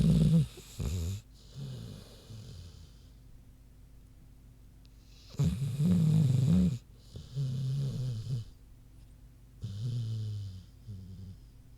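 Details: Sleeping pig named Queenie snoozing: deep, gravelly snores come in bursts of about one to one and a half seconds, with quiet pauses of a few seconds between them, in a quiet room.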